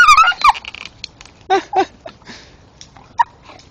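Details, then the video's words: Male Staffordshire Bull Terrier excitedly chewing a tree stump at night lets out high, wavering, gliding whines at the start, followed by two short yelps and scattered gnawing clicks. "going mad chewing tree making sounds dat are funny as hell"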